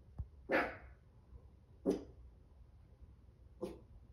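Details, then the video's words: A 5 3/4-month-old Chihuahua puppy, described as anxious, gives three short, sharp barks spaced about 1.5 seconds apart, the first loudest, in a quiet indoor room with faint low background hum. "5 3/4 month Chihuahua: why you are so anxious?"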